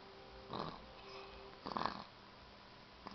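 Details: Grandmother's pet cat snoring while asleep; two soft rasping breaths about a second apart, each a short noisy burst, over a faint steady hum.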